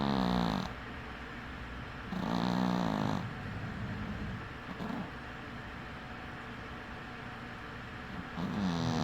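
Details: Sleeping cat snoring with one eye open, indoors; raspy, low breaths come in loud bursts around two and eight seconds, with quieter rumbling breathing in between.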